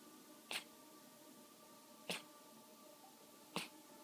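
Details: Male cat coughing up a furball, three short, harsh hacking bursts roughly one and a half seconds apart, over a faint steady tonal hum in the background.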